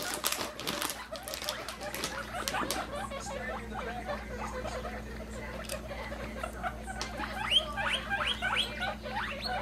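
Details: Baby pet guinea pigs popcorning, jumping around happily, give rapid high squeaks in dense overlapping runs, bursts coming several times a second with sharper chirps late on, over a steady low hum and soft pattering.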